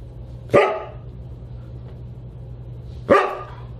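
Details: Siberian Husky at a dinner party on December 29, 2022: two sharp, loud barks about two and a half seconds apart over a steady low hum.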